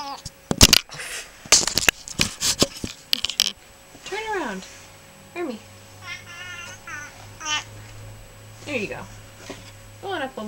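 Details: Indoors, the female pet cat Hermy answers a person coaxing her toward a treat with a series of short arching meows and trills, several in quick succession, after a burst of clattering and speech.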